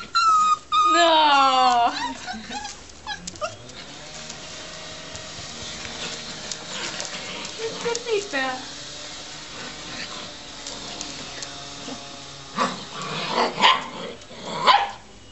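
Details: Australian Shepherd puppies playing in a garden with family members. A quick run of high yips and whimpers that slide down in pitch opens the recording, followed by quieter scattered yelps and people talking in Dutch.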